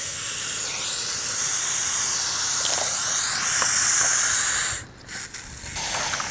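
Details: Hognose snake playing dead, giving a steady, breathy hiss concentrated in high frequencies that holds for nearly five seconds, then drops away abruptly into brief quieter puffs.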